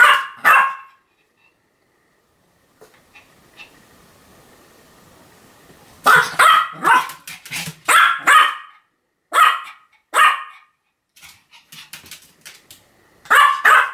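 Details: Continuous barking from Sam, a Pomeranian, on 7 October 2015. An opening bark gives way to a quiet stretch with a faint hum, then dense, rapid yapping barks in clusters until the end.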